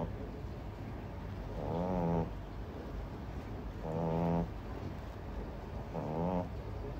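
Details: Sleeping French Bulldog puppy snoring loudly: three buzzy, rattling, gorilla-like snores, each about half a second long, roughly every two seconds, with a steady low background hum between them.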